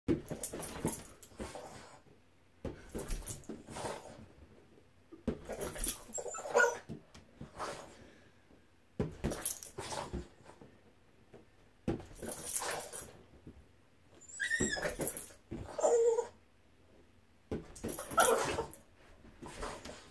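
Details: Boston Terrier named Boston whimpering while playing with a balloon, his favourite game; brief high whines rise between repeated broad, noisy thumps and rustles that come every two to three seconds.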